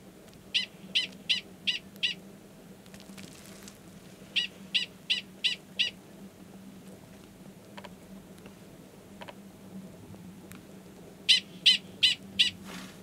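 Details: Male Gunnison's prairie dog at Valles Caldera, New Mexico, in March 2017, sounding a prolonged mating call toward a belowground estrous female; repeated bouts of five, five and four high, clipped barks with quiet gaps.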